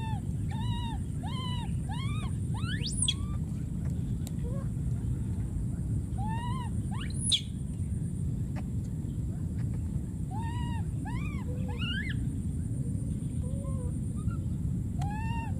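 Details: A young wild monkey keeps calling for his missing friend with clusters of three or four arched, wavering cries, plus two sharp rising squeals, against a constant low background rumble.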